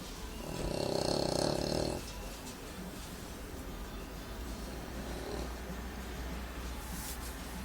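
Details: A male English Bulldog snores with a loud, rumbling, tonal breath followed by a softer, fainter one.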